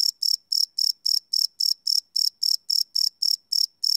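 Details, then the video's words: Nighttime crickets chirping, recorded live on a Sony PCM D100 field recorder; sixteen sharp, high-pitched chirps in four seconds, evenly spaced and uninterrupted. "Cricket Chirp Sound - Cricket Sounds at Night"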